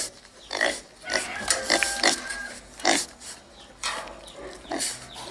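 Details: White wild pig calling in short harsh bursts, with a thin whistled squeal held briefly in the middle, then more scattered rough grunts.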